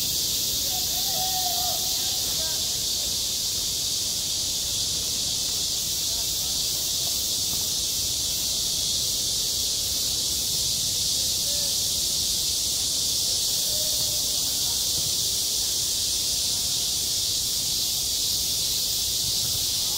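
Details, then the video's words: Loud, even buzzing of cicadas at a school playground in high summer, constant and unvarying throughout, with a faint call or shout early on and scattered quiet voices in the background. "한 여름 운동장에서 매미가 울고 있다 - 여름의 소리, 학교 종소리, 매미 울음소리"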